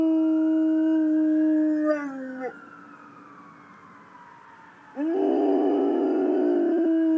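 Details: A Rottweiler howls at ambulance sirens in long, steady howls, pausing briefly before a fresh howl swells up again.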